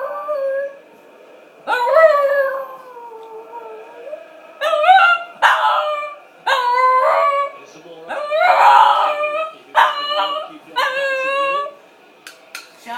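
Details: Shih Tzu dog wanting a walk, giving a long sliding howl that falls away, then a string of shorter wavering howls and yips in quick bursts, with a person speaking briefly in the background.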